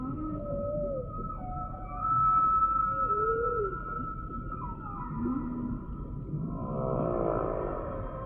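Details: Humpback whale song: a series of smooth tonal units sweeping up and down in mid pitch, some short arched whistles, over a steady high tone and a low background rumble, ending in a dense warbling burst.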